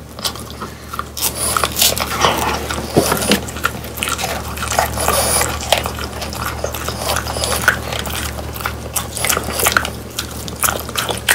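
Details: Pet French Bulldogs biting and chewing dried whole quail. Steady crackling crunches repeat quickly and irregularly through the whole stretch, with a low electrical hum in the background of a small room.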